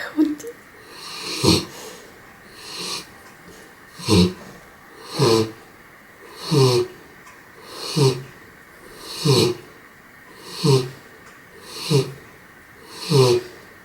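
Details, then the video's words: Raissa the dog asleep and snoring steadily: rapid, regular snorting breaths roughly every second and a half, each a short rough rasp with a nasal edge, continuing throughout. "Raissa, der am lautest schnarchende Hund der Welt"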